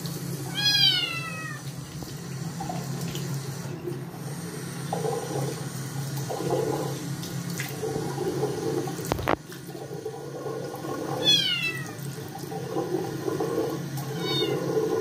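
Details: Scottish kitten unwilling to be bathed after getting its paws dirty: a strong falling meow at the start, another around eleven seconds and a short one near the end, with splashing and running water between.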